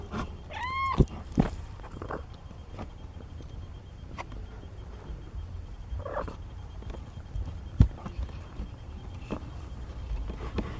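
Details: Nina's 17-day-old kitten, one of four, lets out one quick rising-falling mew at the start, then a faint second one later. Soft thumps and a steady low hum fill the rest.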